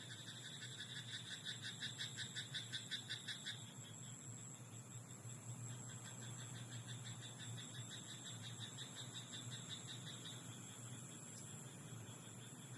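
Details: Rapid pulsed croaks from a frog in a rice paddy at night open the recording, about a dozen rattling notes in a quick row, then fading into quieter hum and hiss with scattered fainter calls.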